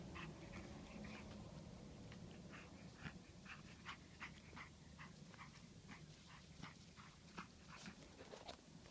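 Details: Six-week-old pug puppy attacking in play indoors: soft, short, rasping bursts come roughly every half second in a loose rhythm over a quiet room hum, with faint rustling and scuffling between them.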